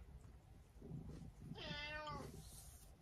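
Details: Abyssinian cat, described as clingier after its owner stayed away overnight, gives one drawn-out harmonic meow lasting about half a second, set against low room noise and soft movement.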